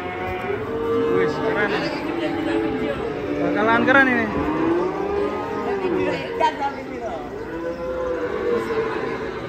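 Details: Big Indonesian cow, said to bolt suddenly and frighten onlookers, gives several sustained, droning moos that slowly bend in pitch, over a bed of background music and faint human chatter.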